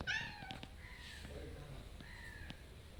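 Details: Stray cats asking for food at a house door, a polite, gentle request: a short sharp meow opens, followed by two soft, drawn-out whining meows, level then falling, with faint taps and knocks indoors.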